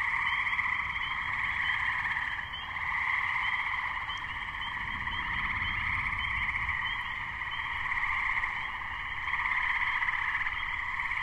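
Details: Gray treefrog (Hyla versicolor) chorus in May 2010, just before a thunderstorm hit: dense overlapping pulsed trills forming a steady continuous wall of sound, with high peeping Spring Peepers in the background and low rumble underneath.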